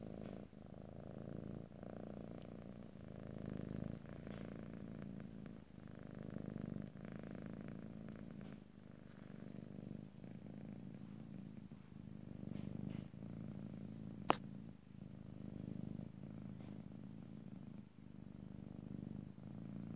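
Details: Cat purring in a quiet room, stereo ASMR with no talking: a gentle low rumble pulsing in waves every couple of seconds, with one sharp faint click midway.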